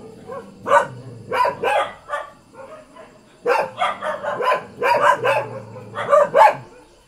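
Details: Ordinary village dog barking repeatedly in loud clustered bursts, short sharp barks in groups of two or three with brief gaps, a low rumble underneath.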